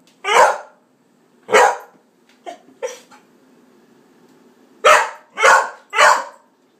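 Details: Murray, a pet Cardigan Welsh Corgi that dislikes the Sodastream's sound, gives sharp separate barks, a pair of softer yips, a quiet gap, then three loud barks in close succession.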